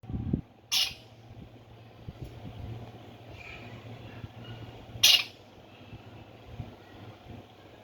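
Two abrupt, harsh chirps from a Himalayan squirrel ring out, spaced roughly four seconds apart. A steady low hum and a faint thump sit in the background between calls.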